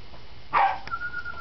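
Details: A young female Corgi named Bling, kept at Corgi Haven with her sisters, gives one short, sharp bark. A steady thin high tone follows, and she had been called by name just before.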